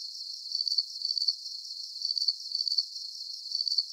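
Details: A nighttime cricket chorus for relaxation. Short, shrill pulsed chirps come in pairs of groups at a slightly uneven pace against a soft continuous high hiss, with no other sounds.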